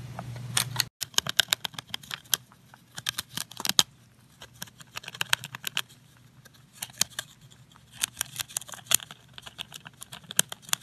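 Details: Eating sounds of Pontan the rabbit: crisp, crackling crunches coming in irregular bursts, some louder bites standing out, with quieter gaps between and a low hum at the start.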